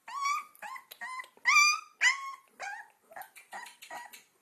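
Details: Two-week-old Alaskan Malamute puppies on their first walks give high, squeaky whines and yelps in quick overlapping bursts.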